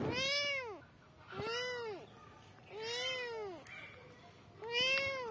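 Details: Growing kittens meowing for mom: four loud, arched cries with bright harmonics, each swelling and dropping in pitch, spaced about a second apart, with faint background clicks.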